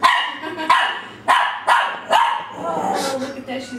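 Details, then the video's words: Female dachsador puppy, ten weeks old, half Labrador half dachshund, barking at her reflection in a glass pane in December 2008; five shrill yips in quick succession, then a person speaking softly. "Puppy barking at her reflection"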